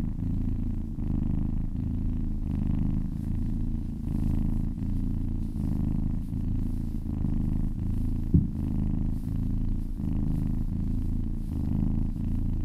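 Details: A cat purrs contentedly while being massaged, a deep even rumble rising and falling with each breath, and one brief click midway.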